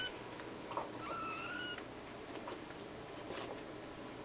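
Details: A male bluepoint bicolor ragdoll kitten from a cattery, filmed on 14 April 2013, lets out one faint, high meow that holds level and then dips slightly at the end, with light tapping and a constant high whine in the background.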